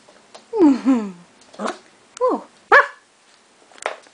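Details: Shetland Sheepdog puppy, seven and a half weeks old, playing: a wavering, downward-sliding whine followed by several short sharp yips spaced about half a second to a second apart, while a person speaks softly nearby.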